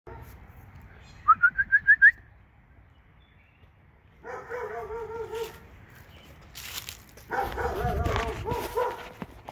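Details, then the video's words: Two dogs in Alabama: a quick run of five sharp, high yips, then a longer wavering, whining tone with a slight tremble, followed by a burst of rougher, noisier vocalizing. "Alabama dogs"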